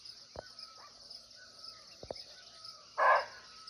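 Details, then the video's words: A single sharp, coarse bark of a barking deer (muntjac) recorded live in a Nepali forest, coming after a few clicks, with a faint bird whistle and a continuous high insect buzz behind it. "Real Barking Deer Call"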